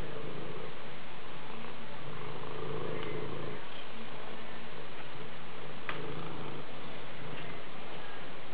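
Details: Maine Coon cat purring steadily indoors, a deep continuous rumble with a faint regular pulse running unbroken through the whole stretch, no other sounds intruding.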